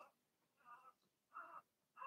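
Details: Whining cries from young Blenheim Cavalier King Charles Spaniel puppies, Remy's litter of six, kept in a home puppy pen while being potty trained. Four drawn-out nasal whimpers, each about a quarter second long, with quiet gaps between them.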